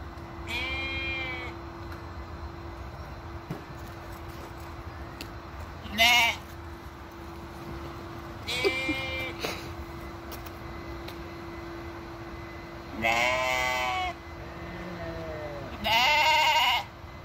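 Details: Petting-farm sheep, with a Basenji dog visiting, call in an oddly strange way: five separate wavering bleats, each about a second long, spaced a few seconds apart over a constant low hum.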